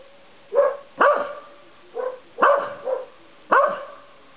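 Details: Corgi barking at night by a porch light; six clipped barks, some in quick pairs, spread over four seconds, each a short burst with stacked tones.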